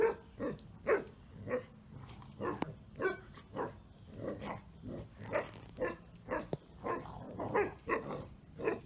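A Basset Hound gives short, deep barks and yelps in rapid, irregular bursts.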